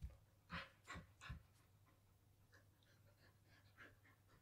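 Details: Samoyed named Daifuku, a female born 17 December 2021, panting quietly: three breathy huffs about 0.4 seconds apart, then softer, quicker pants that fade, over a steady low hum.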